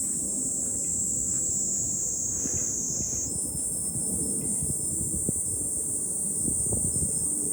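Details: Fukuoka city hilltop in July, Japan, with cicadas giving a sustained high, hissing drone that shifts slightly higher partway through, set against breezy low rumbling and soft clattering sounds.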